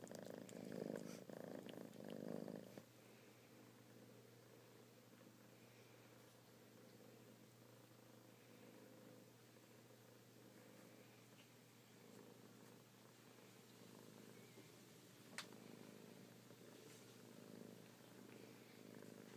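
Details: Kittens purring: a loud burst of rumbling in the first seconds, then a quieter, steady pulsing purr with one sharp tap midway and a constant faint hum.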